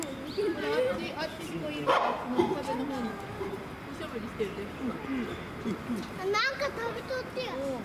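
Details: Chimpanzee barking at Tennoji Zoo: a busy run of short, harmonic, bending hoot-like barks in rapid bursts, a louder cluster near the two-second mark and another near six and a half seconds, with voices of people in the background.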